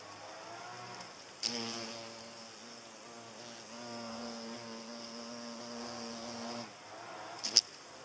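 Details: Flying hornet chasing butterflies away: a clear, even, low-pitched buzz lasting about five seconds after a sharp knock, then quieter, with another crackling tap near the end.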